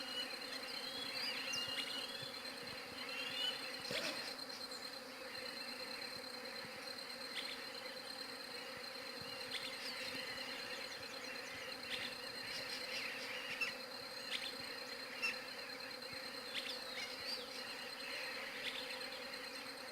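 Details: Continuous low buzzing of bees holds unchanged throughout, captured on a Galaxy J7 Prime 2 phone, with scattered faint bird twitters and a sharp knock near the start.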